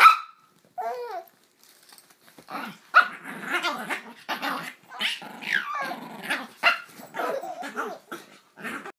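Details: Brussels Griffons indoors barking in short sharp bursts, irregular and several per second at times, with a baby laughing at them, including a high wavering laugh near the start.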